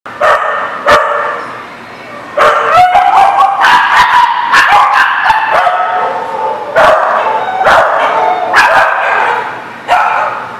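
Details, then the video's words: Dogs at a dog park on 22 July 2019, barking in loud sharp bursts, overlapping yips and a drawn-out whine between barks. "The Barking Lot"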